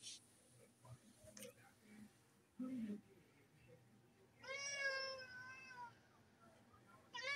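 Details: Domestic cat giving a drawn-out, wavering meow of about one and a half seconds, with a brief second meow starting at the end; a person speaks quietly and soft thumps are heard earlier in a small room.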